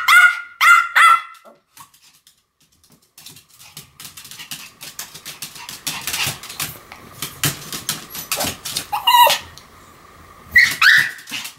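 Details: Pomeranians Sam and Marin barking together in a duet: a rapid run of three bright yaps opens, followed by a long stretch of clicking and rustling, then a few more shrill barks near the end.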